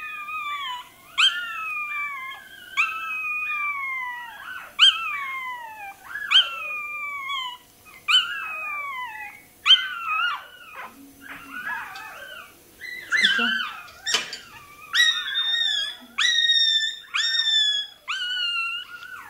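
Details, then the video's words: Toy terrier puppy crying during tail docking, high shrill yelps and whimpers falling in pitch, repeated about every one and a half seconds, growing more frantic and overlapping toward the end. "Docking tails puppy. Купирование хвостика щенку той-терьера."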